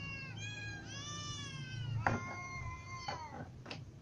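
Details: Hungry ginger cat and other cats, young and adult, calling; one long, steady, whining meow followed by a shorter falling one, with sharp clicks and a low hum underneath.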